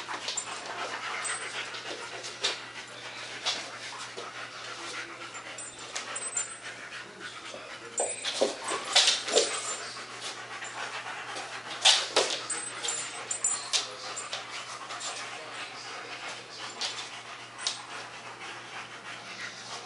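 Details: Two German Shepherds playing, recorded September 14, 2015; rapid breathy panting and scuffling bursts run throughout, with louder rustling thumps in the middle.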